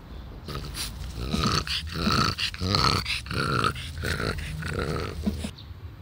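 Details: Elderly French Bulldog, twelve years old, recorded on 16 July 2016, giving a steady run of nasal, rasping grunts with a harmonic ring, roughly two per second for about five seconds.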